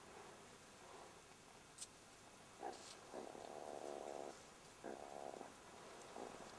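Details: Burrow-dwelling young jackals harassed by a meerkat: a brief snarl, then a sustained rasping growl over a second long and another shorter one, with a few sharp clicks in between.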